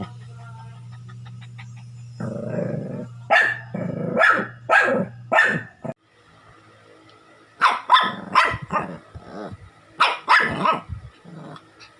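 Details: Shih Tzu. A small Shih Tzu gives sharp, high-pitched yapping barks in two runs separated by a short pause. A low steady hum sounds at the start before the barking begins.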